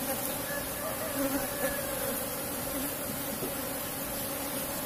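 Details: Asian honey bee colony, Apis cerana, kept in a box hive and disturbed during a honey harvest: a steady droning buzz with a low tonal hum holding level for five seconds over faint background hiss.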